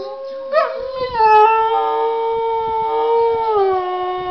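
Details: A domestic dog howling at a laptop, one long steady tonal howl with rich harmonics that sags slightly lower toward the end, with short yelping onsets near the start.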